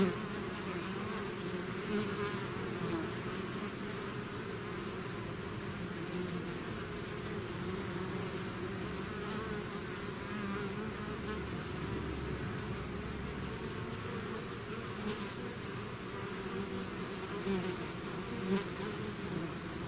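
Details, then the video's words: Swarm of bees pouring out of the hive, continuous overlapping wingbeat drone, even and unbroken, with faint higher crackling above the hum and occasional closer passes late on. "bees therapy swarm natural buzzing sound"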